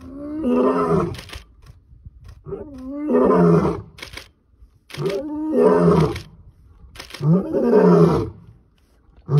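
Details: A male lion, Mantimahle, roars close by as he walks down a road in South Africa announcing his presence, in deep, rasping bursts that each swell and fade roughly every two to three seconds.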